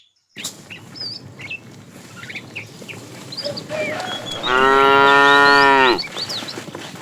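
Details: A fat tame cow calling to a female while a herd is driven along in the afternoon; one long, steady, harmonic-rich moo of about a second and a half, with chirping birds throughout the background.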